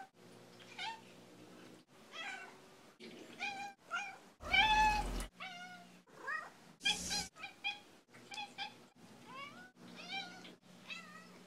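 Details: Assorted meows from Skeeter, a female house cat, edited together: about a dozen quick meows in a row, many with rising upward bends, broken by two brief harsh crackling bursts, above a steady low indoor hum.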